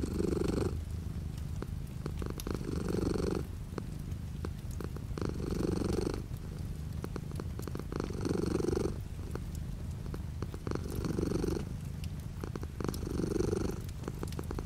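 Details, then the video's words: Relaxed cat purring with light rain beyond the window; a steady low rumble pulsing in regular louder waves about every two and a half seconds, accompanied by soft rain patter and occasional sharp drops. "The sound of a cat purring with light rain outside the window"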